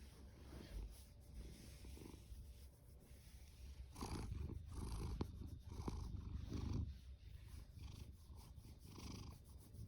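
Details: Deep, rapid purring from Fasu, a rescued orange tabby tomcat born October 2019, a continuous low rumble that swells louder in the middle with breathy snorts over it.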